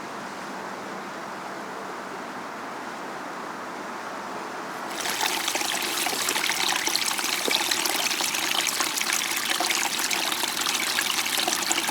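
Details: Running water trickles steadily, quiet at first and then louder and fuller from about five seconds on, with a broad hiss and no animal voices.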